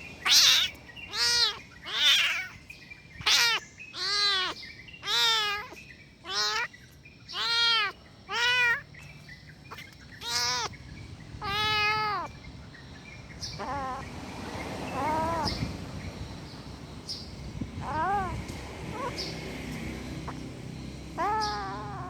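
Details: Kitten, described as angry, repeating loud arched meows almost every second for about twelve seconds, then quieter, scattered cries amid rustling noise.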